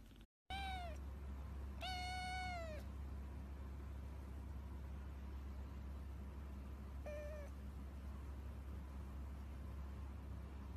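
A domestic cat gives three clear, tonal meows over a steady low hum.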